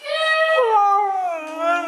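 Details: Mishka the talking Siberian Husky answers indoors with a loud, rich, wavering howl that dips lower midway and then rises again, as if replying about going outside.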